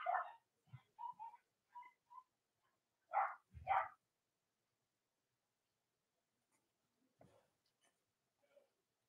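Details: Cavalier King Charles Spaniel puppies from Robin and Myra's litters, on a chilly Monday morning near Halloween: short whimpers and yips in uneven bursts, two louder squeals near the middle, then faint rustling and quiet.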